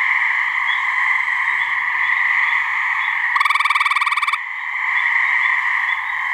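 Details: Gray treefrog (Hyla versicolor) giving its mating call in a swamp in New Hampshire, one of a couple of frogs: a single loud, pulsed trill lasting about one second, rapid even beats, over a steady, dense chorus hum.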